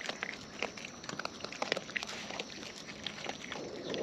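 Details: Close-up chewing by wild raccoons while eating: quick wet smacks and crisp clicks packed densely across four seconds, with little low-pitched background.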